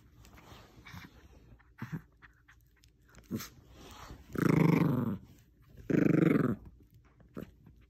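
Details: Pet Bichon Frise tugging at a little stuffed squirrel toy indoors, giving two loud, harsh growls of about half a second each, with soft scuffling and toy-handling noises between them.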